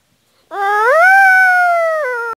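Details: Single drawn-out dog howl, rising at the start, holding steady with a clear harmonic stack and easing slightly lower before ending abruptly; quiet background, nothing else heard.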